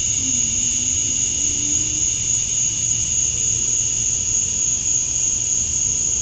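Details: Male cicadas fill a summer dusk in Georgia, USA with a steady, high, unbroken buzzing drone that never pauses; males chirp to attract females.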